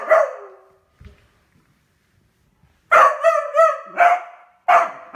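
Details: Beagle eager over a new toy: one long bark, a short silence with a faint knock, then a rapid burst of wavering, yodel-like barks ending in two more sharp ones.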